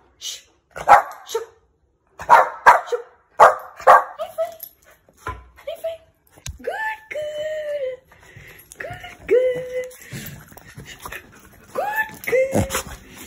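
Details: A one-year-old female Shih Tzu, angry, barks sharply in quick bursts, then lets out high, whiny yelps.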